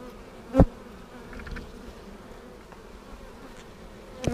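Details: Honey bees in a hive split with a double screen divider board, inspected for queen cells seven days later on March 10, 2019. A steady low colony hum holds throughout, broken by two sharp knocks near the start and end.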